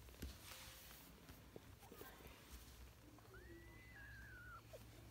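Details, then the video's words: British and Scottish kittens at play; one drawn-out, high kitten meow lasting over a second holds steady, then slides downward. Soft voices and small handling knocks come before it. "Kedi sesi british ve scottish yavru kediler"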